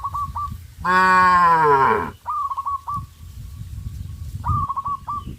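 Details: Cattle on a traditional village farm, running in fear into the forest: a single loud, drawn-out moo of about a second, falling slightly in pitch at the end, with short repeated bird chirps before and after and low rustling noise.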